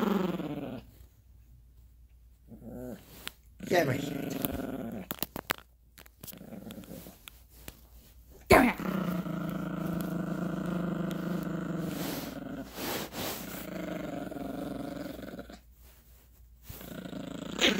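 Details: Gracie, a Yorkshire Terrier puppy, growls while play fighting on a bed over a squeaky dog toy; low rumbling growls come in bursts between pauses, with a man's voice and soft squeaks of the toy.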